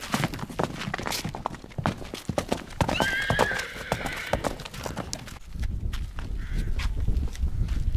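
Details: A stallion with a mare: hoof clip-clops and rustling throughout, with a bright descending whinny near the middle lasting about a second, then a fainter second whinny, over low rumbling noise.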